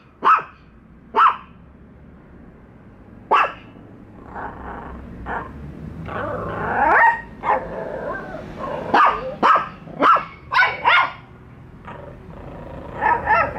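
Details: Two pet dogs, Bico and Faith, meeting a toy dog for the first time and barking at it: sharp single barks at irregular spacing, with softer whining, yelping sounds between 4 and 8 seconds, then a quick run of barks.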